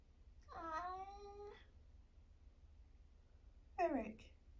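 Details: 1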